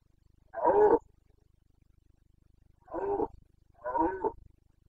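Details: Carpathian stag bellowing during the autumn rut in the forests of Bucovina, Romania, September 2022. Three long, harsh, throaty roars, the first loudest, separated by pauses of about two seconds.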